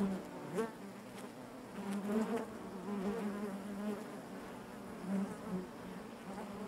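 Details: Honey bees buzzing inside their hive, a steady droning hum with overlapping wingbeat tones that swell briefly as individual bees pass close, with no other sounds present.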